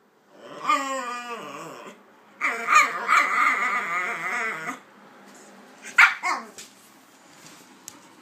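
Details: Two pet dogs, Kaiser and Viki, a pitbull and a King Charles spaniel, playing together; a long wavering whining yelp, then a second stretched whine, then a couple of short sharp yips.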